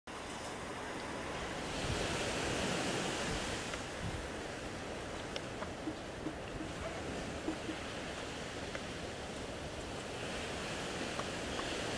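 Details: Steady surf and wind wash across the whole recording, with a few faint clicks but no animal voice.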